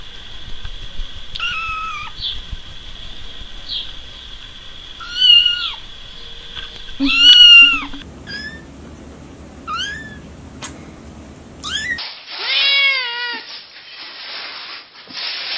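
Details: Kitten meowing in a series of separate snippets: high, clear meows that arch up and fall, some short and chirpy, others drawn out, with quiet gaps between calls and a faint low background hum.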